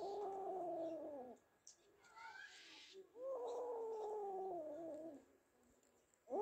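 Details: Kaallu and Motu, two cats that caught a big mouse, give two long, low moaning yowls that sag slightly in pitch, each over a second long, separated by a brief quieter gap.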